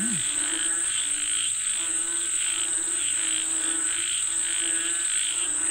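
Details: A chorus of frogs said to be calling for rain gives rhythmic, buzzy croaks in overlapping bursts, under an unbroken shrill insect drone, with one quick rising chirp at the very start.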